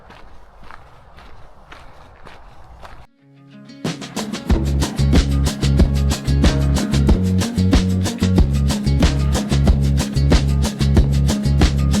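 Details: Footsteps on a forest trail give way to loud rhythmic music with a steady beat, and no animal calls are heard.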